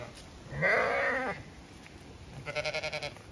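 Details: Zwartbles ewes on a regenerative farm in County Kilkenny, Ireland, bleating as their field is checked; one strong wavering bleat, a pause, then a rapid tremolo bleat pulsing several times per second.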